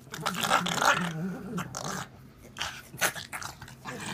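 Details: Pug making goofy sounds indoors: rough, breathy growls and snorting grunts in quick irregular bursts, with a person's voice briefly in the background.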